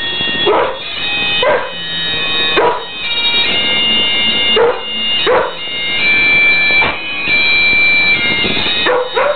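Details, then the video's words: Husky joining in with Flower of Scotland, giving a string of short, sharp yelps and yips roughly once a second over sustained droning music. "husky sings flower of scotland"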